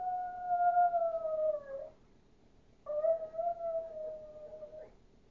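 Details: Chihuahua howling like a wolf: two drawn-out, smooth tonal howls of about two seconds each, sliding gently downward at the end, with a short silent pause between them.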